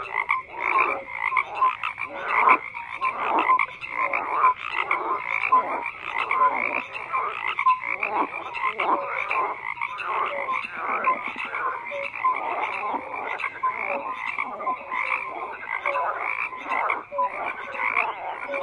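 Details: A thick chorus of croaking frogs, numerous voices overlapping into a continuous pulsing mass, punctuated by brief clearer notes, level and constant from start to finish.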